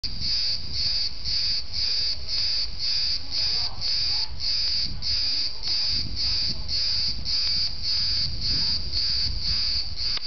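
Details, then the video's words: Cicadas give a loud, high, buzzy pulsing call, rhythmic bursts repeated about twice a second without pause, over low rumbling background noise. "some different cicadas"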